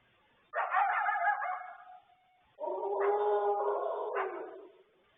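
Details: On the evening of May 12, around 9 pm, a coyote calling back and forth with wolves gives two drawn-out, yippy barks, the second lower and longer.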